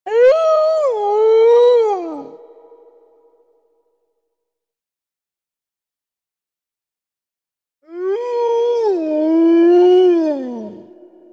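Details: A gray wolf gives two long howls, each a smooth, wavering tone that rises, holds and slides down; Gray wolf.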